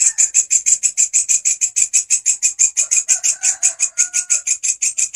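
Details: Grasshopper song used as a master sound for training songbirds: a loud, high, dry buzzing pulse about five times a second, steady and sharply rhythmic throughout, with faint low whistled tones briefly in the background midway.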